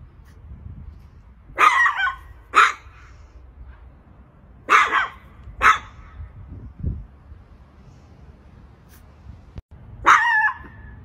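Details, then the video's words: Little Chihuahua barking at a cat, a guard-dog style bark with a growling quality; sharp broadband barks in pairs and singles, about five over eleven seconds with quiet gaps, a low thud between them. "Chihuahua Barking Dog Bark Sounds. Little Chihuahua Barking at a Cat"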